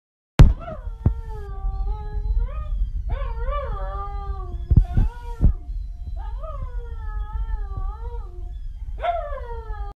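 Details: A Siberian husky puppy howls to another dog, a series of wavering, drawn-out howls that rise and fall in pitch.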